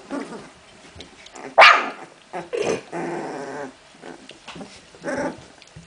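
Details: Puppies of Memphis-true Olga and Scarko de la Betoule at play: short rough growls and a sharp yip, then a longer drawn-out growling whine, with quiet gaps between bursts.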